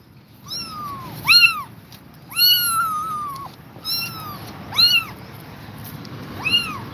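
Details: Exhausted mother cat staying beside her kittens; five arched, tonal meows, each rising then falling, some drawn out, spaced about a second apart over faint low indoor rumble.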